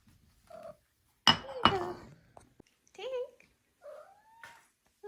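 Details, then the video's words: Four-month-old female Maine Coon kitten giving cute trills and chirps indoors: several short warbling rising-falling calls and a longer gliding chirp, with a couple of sharp knocks and quiet surroundings. "4 Month Old Maine Coon Kitten Makes Cute, Funny Sounds"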